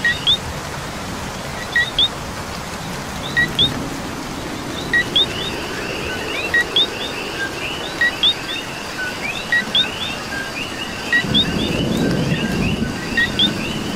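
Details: Night chorus of coqui frogs in Puerto Rico during rain, the nearest one giving crisp two-part calls, a brief low note then an upswept chirp, again and again amid many overlapping callers, with a low rumble of rain building near the end.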